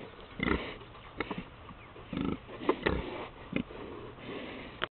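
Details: Pigs at a farm making low, short grunts and snuffling sniffs at irregular intervals, several overlapping, with some rustling and knocking in between.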